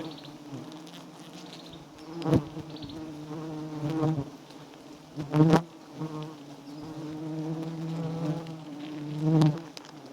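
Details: Wild giant honey bees swarming around a small, white nest rich in honey; a continuous deep hum with layered overtones swells in several louder bursts, alongside clicks and bumps from nearby movement.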